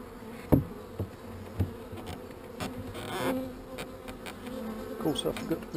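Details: Honey bees drone steadily while their hive is worked on. Sharp knocks and rustling handling noises break through the low hum at irregular moments.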